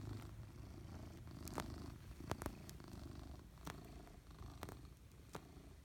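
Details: Maine Coon cat purring hard, a low rumbling purr with uneven pulses, interrupted by a few sharp clicks and soft rustles.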